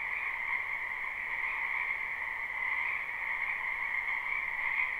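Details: Springtime wetland frogs, many together, recorded live behind a house; their croaks blend into a steady shimmering trill with two layered pitches, slight rises and falls in intensity, and a quiet background.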